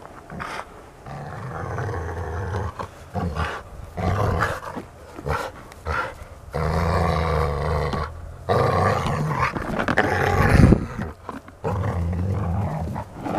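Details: Golden Retriever at play, giving long low rumbling growls in bursts of one to two seconds separated by brief silent gaps, rough and throaty throughout with a sharper, louder snarl near the end.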